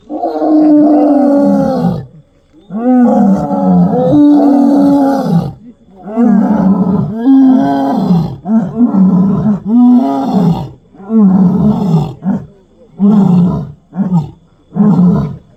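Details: Lion seen on a road at night: a run of long, drawn-out moaning calls, each about two seconds, arching up then falling, with rich harmonics. They repeat with short gaps, shortening and coming faster toward the end.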